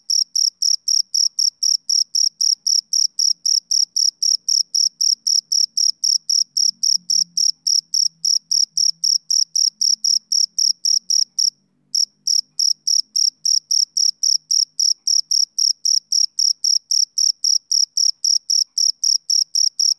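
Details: Rhythmic chirping of a male cricket on a summer evening: bright, high-pitched pulses repeated steadily about four times a second, a brief gap midway, with a faint low hum beneath.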